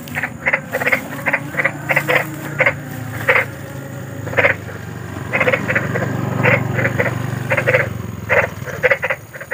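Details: Big frog calling in the wild at night, offered as a soothing sleep sound: short harsh croaks in irregular bursts, some paired, spaced about half a second to a second apart, over a low steady background hum.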